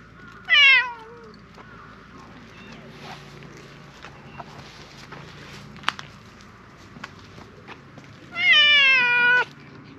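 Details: Silver tabby cat at a park calling loudly as if appealing for something: two strong, drawn-out meows that start high and slide downward, one near the start and one near the end, with faint clicks and rustles between.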